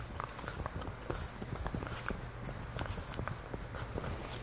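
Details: French Bulldog Lucy gnaws a deer antler taken from her sister Katie: dense, rapid crunching and tapping clicks, several per second, over a quiet room's low hum.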